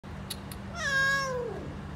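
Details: A mother cat with her kittens gives a single drawn-out meow, rising quickly then sliding slowly downward, after two faint clicks, with a low steady hum underneath.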